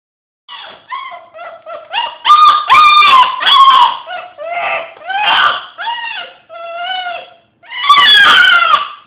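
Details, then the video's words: Hiro, a pet dog indoors, howls in a run of short wavering tones with clear harmonics, rising and falling, broken into about a dozen bursts, some louder and rougher near the middle and end. "Hiro Howling....and making demon noises lol"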